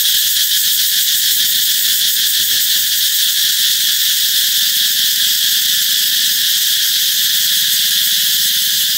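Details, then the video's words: Loud cicada chorus announcing summer's approach, a continuous hissing, high-pitched drone at constant volume, with a few faint low murmurs beneath. "Ve sầu hót vang báo hiệu mùa hè sắp đến"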